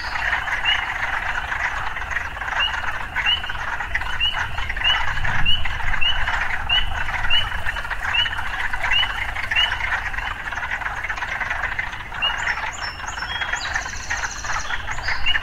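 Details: Frogs calling in an urban area: a steady buzzing chorus with short rising chirps about every half second, a low rumble passing midway, and high clinking sounds near the end.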